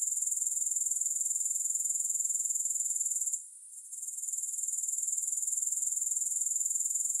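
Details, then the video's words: Grasshoppers giving a continuous high, shrill buzzing trill with a fast steady pulse, broken by one brief drop in loudness midway before the chorus swells back. No music or other sounds. "Grass Hopper Sounds"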